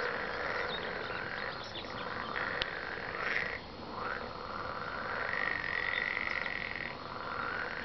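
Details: Frogs croaking together in a dense, buzzing chorus of overlapping trills at a steady mid pitch. It continues without a break, with one sharp click partway through.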